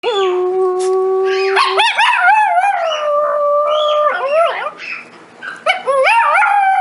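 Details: Pet dog making odd, funny noises: long sliding howl-like tones, rising and falling and warbling, held for several seconds with short breaks, rich with layered overtones; no other sounds stand out.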